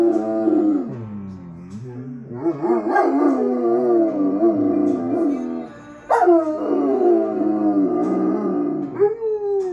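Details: Two German Shepherds howl together to the Lumineers song "Ophelia", their favourite. The howls are long and wavering, sliding up and down, with the music playing behind.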